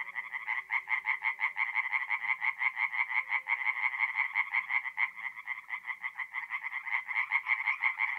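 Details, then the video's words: Forest pond at night in north-east Italy, mid-April: tree frogs keep up a rapid, buzzy, evenly pulsed croaking chorus, roughly three pulses a second, loud and unbroken throughout. "relaxing forest pond by night with singing tree frogs"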